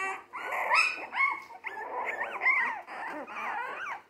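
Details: A litter of three-week-old Jack Russell Terrier mix pups, born 12/17/2020, keeps up a continuous whining chorus: bending, arching high cries that overlap with hardly a pause.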